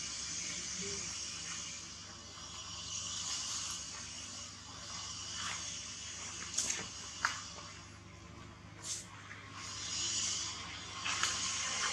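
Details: Steady broadband hiss with low hum and scattered mechanical clicks and rattles, like ratcheting, and no animal cry standing out.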